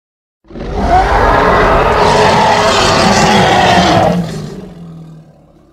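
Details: Hippopotamus, Congo, letting out a sustained, raspy roar of nearly four seconds, full and noisy across a wide range with a faint steady tone inside. It fades into a lingering low rumble afterwards.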